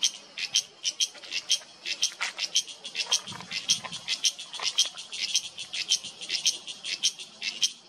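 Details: Loud cicada calling in a Himalayan mountain oak forest in Uttarakhand, India, September 2023: a rapid, uneven train of harsh, rasping clicks, roughly three to four per second, with a faint low rumble in the background.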